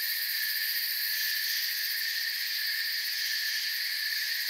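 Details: Crickets heard in forest ambience, an even, high-pitched pulsing chorus that never breaks, several shrill layers sounding at once over silence in the low range.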